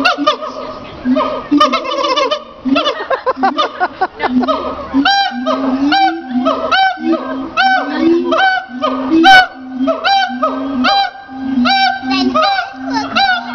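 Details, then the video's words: A siamang at Riverbanks Zoo, Columbia, South Carolina, gives loud, harmonic barks in a rapid repeated series, each note rising sharply. "Barking Siamang"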